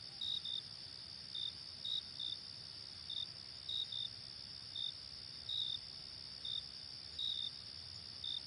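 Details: Cricket chirps at an unhurried, uneven pace, several in close pairs, sharp and high over a steady shrill drone of other insects.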